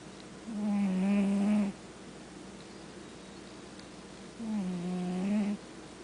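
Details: Sleeping domestic cat snoring indoors: two drawn-out, tonal, buzzy snores, each about a second long and spaced roughly three and a half seconds apart, with quiet steady background between breaths.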